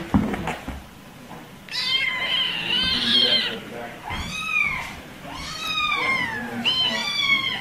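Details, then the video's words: High-pitched kitten meows while playing: a long wavering cry, then three arching mews about a second apart, each rising and falling, with soft rustling between them. "Top 5 Cute Kittens meowing & playing"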